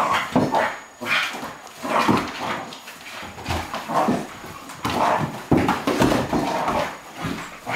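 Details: Two dogs, Bonzo the Cairn Terrier and Pippi the Flat-coated Retriever, playing together indoors; bursts of growly, huffing play noises and short barky yelps come in quick uneven bouts, with scuffling between them.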